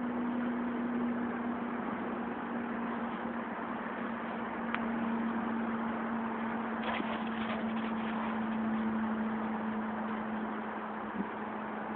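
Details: A steady engine-like hum with a constant low tone fills the scene, and no animal voices stand out.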